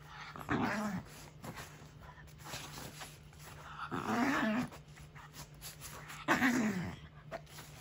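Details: Angry Shiba Inu growling: three rough, grumbling bursts of about half a second each, wavering then dropping in pitch, spaced two to three seconds apart, over a steady low hum.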